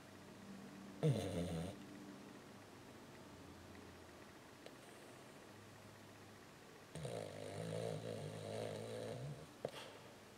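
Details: A 14-year-old female Lhasa Apso snores loudly while asleep during a walking dream, giving two long, rumbling, raspy breaths separated by quiet.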